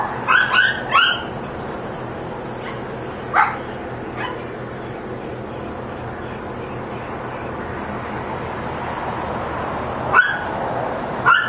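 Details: Neighbour's dogs barking: a cluster of three high, yelping barks at the start, a couple of softer single barks midway, then two more sharp yelps near the end over steady background noise.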